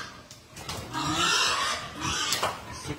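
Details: Berkshire x Pietrain gilt, a young female crossbred pig on a hog farm, giving rough, noisy grunting snorts that swell in the middle and trail off, with faint background chatter.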